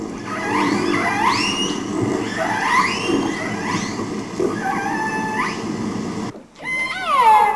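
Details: Killer whale dialect calls in Johnstone Strait, British Columbia: the distinctive call of one northern-community pod of about 20 whales, rising squealing whistles with sharp upsweeps repeated over underwater hiss; each pod has its own dialect for identifying each other.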